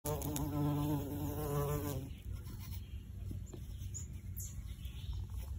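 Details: Bumblebees, the first of spring, buzz around a cottage garden in Ontario, Canada: a low, steady droning buzz rich in overtones, fading after two seconds.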